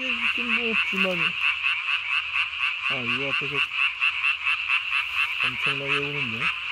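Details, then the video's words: Japanese tree frog calling at night on 3 May 2020, its vocal sac under the chin puffed up as large as its body; fast pulsed rasping notes, about two per second, with lower, harmonic croaking bursts between them. "밤에 우는 청개구리 울음판이 몸통 만큼 크네요?"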